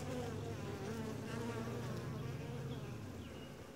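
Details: Honey bee colony during a hive inspection, described as quiet, gentle and calm, filmed from a tripod-mounted camera; a steady, low, layered hum with wavering overtones runs throughout.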